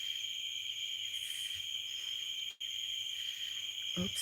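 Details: Crickets and cicadas in a night insect chorus outside on a farm on a humid evening: a steady, continuous high-pitched trill with a fainter shimmering band above, brief buzzy surges, one short dropout, and a low knock at the end.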